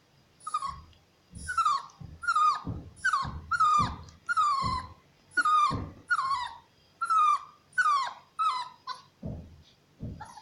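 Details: Shar Pei cross puppy awaiting adoption yelping in a steady series of short, high, downward-sliding cries, roughly one per second, with soft low thumps between some of the calls.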